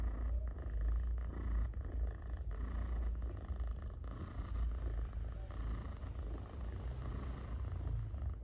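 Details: Domestic cat being petted and purring loudly, a heavy continuous low-pitched rumble with slight rises and falls in strength, recorded up close amid brief rubbing sounds.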